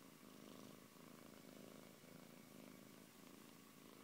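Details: Siberian cat named Antey purring, a continuous low rumbling purr that swells and eases with each breath, about one breath cycle per second.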